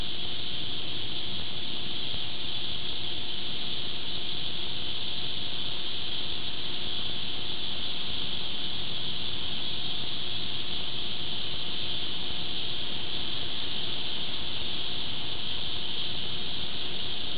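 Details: Hundreds or thousands of cicadas calling together in Chicago, a loud, unbroken, hissing drone that holds steady for the whole stretch, over a heavy low rumble of background noise.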